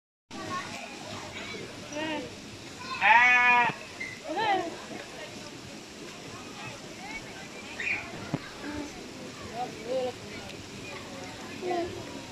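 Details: Goat calling while pooping: one loud, wavering, nasal bleat of under a second midway, with a few fainter bleats scattered around and people chatting throughout.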